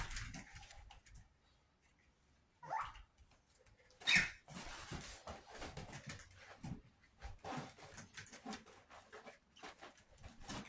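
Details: Chihuahua puppies, 61 days old, giving brief high whimpering yelps among scuffling and pattering, with a sharp louder cry near the middle and soft shuffling noise throughout.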